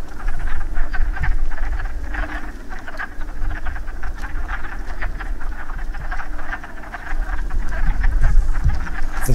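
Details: A group of wood frogs gathered to breed at a woodland pool in spring, after the first warm rain, give a dense chorus of overlapping clucking croaks like quacking ducks.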